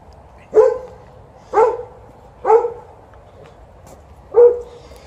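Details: A 12-year-old Golden Retriever named TJ barks after the morning walk because he wants to play fetch, with an Alaskan Malamute also present for ball time. Four mid-pitched barks come roughly a second apart, with quiet gaps between.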